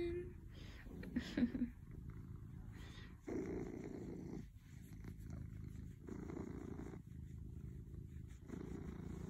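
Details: Domestic cat purring in low, rumbling bursts of about a second each, separated by short pauses, with faint rustling early on.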